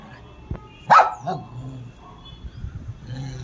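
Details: Pet dog at playtime with a child, giving a single sharp bark in the middle, with soft rustling and low household noise around it.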